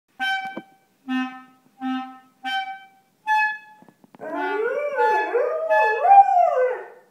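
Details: Pet dog howls along as a clarinet is played: four or five steady clarinet notes, then the dog joins with wavering, rising and falling howls layered over the instrument.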